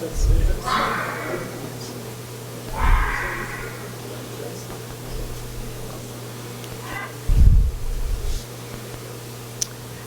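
Two harsh, hoarse red fox screams ring out, played back over a steady room hum.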